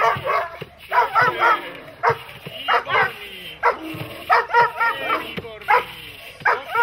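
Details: Dog barking during protection training: rapid, harsh barks in uneven bursts of about four per second, overlapping with shouted human voices.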